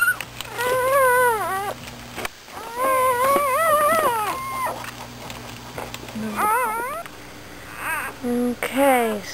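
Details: Dixie, an American Bulldog, has just given birth to nine pups during the night. The newborns cry in long, thin, wavering whimpers that rise and fall in pitch, then give a few shorter, sharper squeals near the end.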